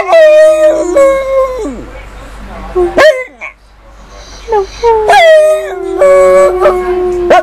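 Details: Female dog howling in long, steady, tonal notes that slide down at their ends, with short breaks and a few brief yips between howls; some rough, breathy sounds in the gaps.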